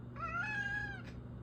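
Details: Pet cat, female, voicing her wish to go out: a single sustained meow with rich harmonics, level then gently falling over nearly a second, ending in a short breathy burst, with quiet room hum beneath.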